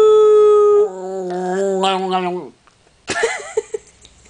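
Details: Paola the dog howls indoors with a steady tone that drops into a lower, wavering howl for about two seconds. Brief voice-like sounds follow near the end.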